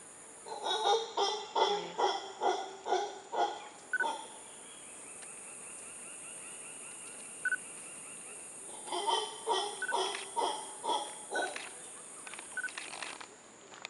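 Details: Howler monkeys in Costa Rica: two bouts of rhythmic, hoarse pulsed calls, roughly two per second, one over the first four seconds and another after a quiet gap, with a steady high insect whine throughout.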